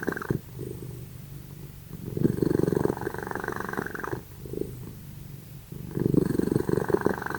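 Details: Loud snoring from the pet cats Simba and Prissy while they sleep; gritty, rapidly fluttering rumbles in long exhalations, broken by short silent gaps, with an even, rolling rhythm.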